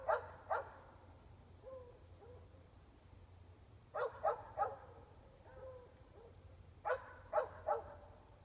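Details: Dogs barking at night from about 400 feet away, mostly indoors, in Emmett, Gem County, Idaho, on 5 February 2020 at 8 pm; sharp barks in bursts of two or three, separated by quiet gaps, over a steady low hum.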